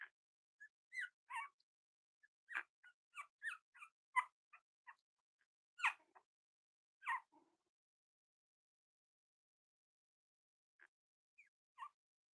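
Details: Cavalier King Charles Spaniel puppies exploring and playing together give a run of short, high yips and squeaks, about a dozen in quick uneven bursts. A quiet pause follows, then a few scattered yips.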